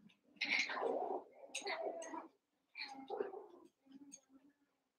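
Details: Playful Cavalier King Charles Spaniel puppies wrestling in their pen, eight littermates together: rough, noisy growling bursts mixed with higher squeaky yips, separated by brief quiet gaps.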